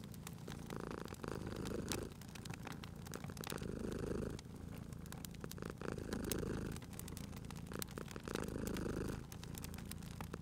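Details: Cat asleep by a fireplace, purring steadily: deep buzzing rumble in long alternating in-and-out phases roughly every two to three seconds, overlaid by frequent crackles and pops from the fire.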